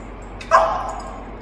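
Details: Single short bark from a dog at a dog daycare in Vancouver, where a French Bulldog and a Morkie welcome two new Beagles; one sharp mid-pitched yap with a brief tail, over quiet room background.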